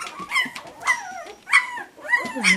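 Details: Pups giving a few short, high whimpers with falling tails and brief gaps between them, plus a faint thin tone in the background.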